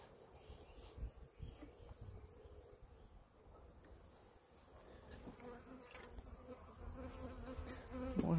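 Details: A steady, low hum of many western honey bees sitting on the combs of an opened hive while protein paste is added, with brief handling knocks; bees from other nearby hives buzz around.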